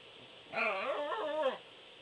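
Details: A single Pembroke Welsh Corgi howl, about one second long: a full, wavering tone that dips and rises, then drops away at the end.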